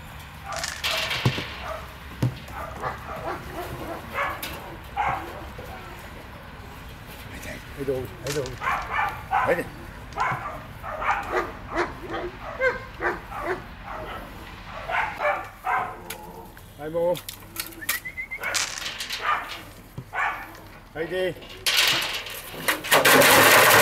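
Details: In a training tunnel with sounds, three eight-week-old female puppies, Uma, Uganda and Urnebes of the DarkFall U litter, give rapid clusters of short, bright yips and whimpers over human talk, ending in a burst of loud noise.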